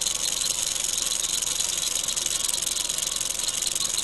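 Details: Wild eastern diamondback rattlesnake (Crotalus adamanteus) found in Florida while field herping, giving a steady, dry, high-pitched hissing buzz that runs unbroken for four seconds with a fast, slightly uneven flutter.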